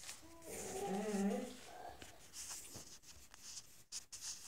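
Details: Moose, a ten-month-old pit bull puppy, howls indoors in a small room to show he is unhappy: a wavering, tonal cry that rises then slides down over about a second and a half, followed by quieter shuffling noises.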